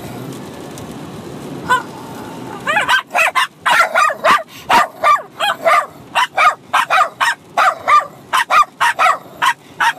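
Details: A Bichon Frise puppy of six months and an older dog bark while fighting and playing; after a quiet start, a dense run of high-pitched yaps follows almost without a break.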